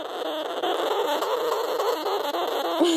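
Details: Two young sugar gliders, newly acquired, crab from inside a pouch while petted from outside: a steady, raspy, buzzing chatter like a "possessed pencil sharpener", made when unsure, scared or threatened.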